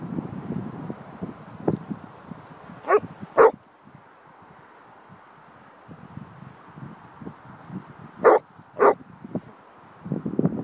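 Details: Basset Hound chasing crows outdoors at Fenny Stratford, Buckinghamshire, England, lets out four loud barks in two close pairs over a steady low rumble of wind and movement.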